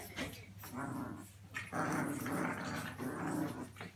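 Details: British Bulldog puppies indoors, low rough growling grumbles in bursts of about a second, broadband and noisy, with short pauses between, a steady low hum underneath.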